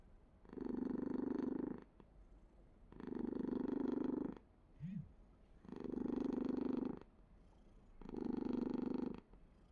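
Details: Purring house cat, its coarse low rumble rising in four regular swells, with a brief, soft upward squeak slipped into the quiet gap midway.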